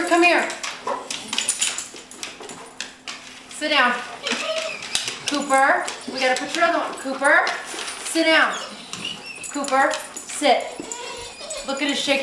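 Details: A shaking pet dog, thrilled about a trip to the park, making a long run of rhythmic, sliding whine-yelps, roughly two each second, squeaky and rising, while a person speaks nearby.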